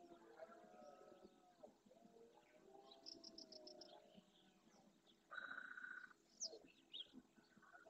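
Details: Red deer stag at dawn during the rut in the Doñana National Park marshes, Andalusia, Spain, courting hinds and roaring to claim territory and harem; drawn-out harmonic bellows over the first four seconds, with bird calls and a bright whistled note later.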